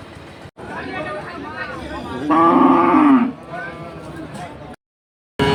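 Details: A cow at a village market gives a loud, drawn-out moo amid a murmur of background voices; five cows are together.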